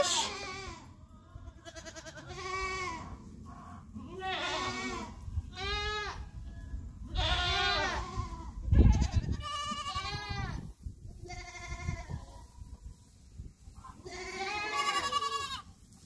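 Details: F5 Mini Nubian goats on a farm in Mt. Pleasant, North Carolina, December 2021, as a doe delivers triplets unassisted, just after the first kid, a boy, is born. Short harmonic bleats come in bursts every second or two, with low background rumble.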